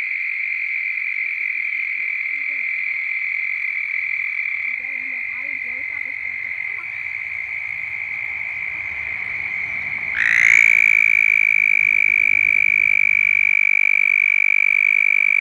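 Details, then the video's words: A toad in mating season, recorded close up, gives a long, steady, high musical trill, its mating call, growing louder partway through. "Croaking Toad (CLOSE UP VIEW) 🐸"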